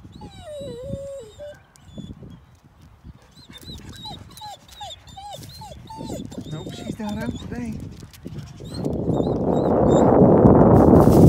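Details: Domestic dogs heading out to visit a boxer friend who is not outside today, giving eager high whines. The whines rise and fall in short bent notes, then come in a rapid run of repeated yelps, with a person talking, brief music and a loud rushing noise at the end.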